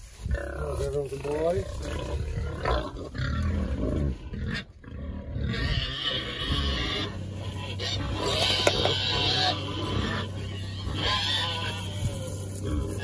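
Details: Berkshire pigs are treated with a spray against external parasites before winter and squeal with joy while rolling around. Repeated long, high squeals rise over a steady low hum, with a man talking at times.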